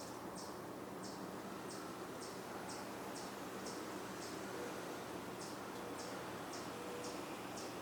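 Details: A chipmunk gives high, sharp chips about twice a second in two runs of eight and six, over a steady broad hiss of distant traffic, on the Cornell campus, Ithaca, New York, 27 June 2024, at evening; possibly vocalizing because of a hawk in the woods.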